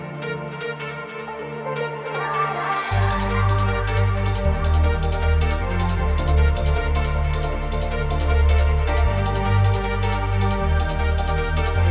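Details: Loud electronic dance music with a steady heavy beat and bright synth layers throughout, with no animal sound.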